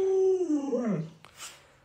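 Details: Short howling whine from Lolo, a pet Alaskan Malamute at home, during a prank where the owner pretends to stew a puppy: a steady tone sliding downward, a brief upward flick, then fading out.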